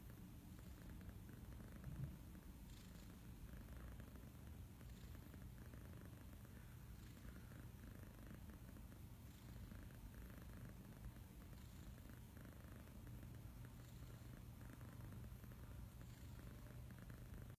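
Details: Lord Wellington, a kitten purring while serenading his human; a continuous deep purr with regular in-and-out breathing cycles every couple of seconds over a quiet indoor background.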